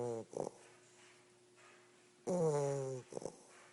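An English Bulldog puppy snores with a deep, rattling, droning breath followed by short snuffling snorts.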